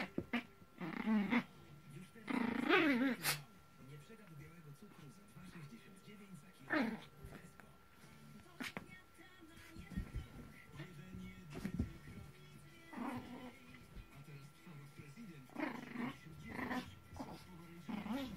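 A Maltese dog growls and whines in short bursts while playing tug, with speech and faint music nearby.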